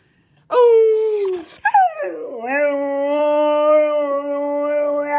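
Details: Dog giving a sustained, steady howl: a short opening cry, a dip, then one long, even, harmonic-rich tone held for about three seconds, slightly rising at the end.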